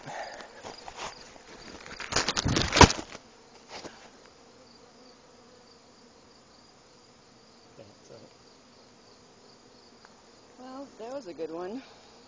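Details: Western honey bees robbing weaker hives during a nectar dearth, tussling at the entrances: a low droning flight hum wavering in pitch as they pass.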